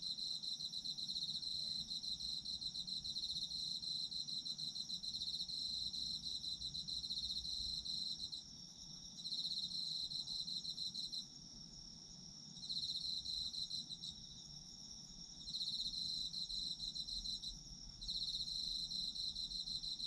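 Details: High, rapid trilling of autumn insects, long sustained bursts separated by several short breaks, layered with a fainter second chirping voice and gentle background hiss.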